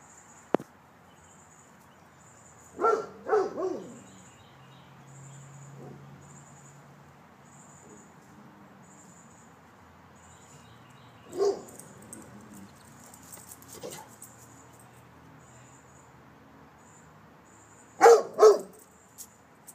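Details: Male Rottweiler guard dog in a backyard during a home protection alarm test, giving deep barks in three separate bursts of two or three, several seconds apart, over a steady high insect-like hum.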